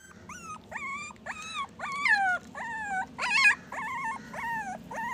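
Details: Puppy giving a string of nine high, thin whining cries in about five seconds, each a short wavering whistle that rises then dips, one briefly sharper and yelping, over low room noise.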